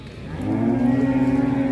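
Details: Very large black cattle in an Indonesian pen. One sustained, even-pitched moo rising slightly at the start and holding steady for over a second, with faint music behind.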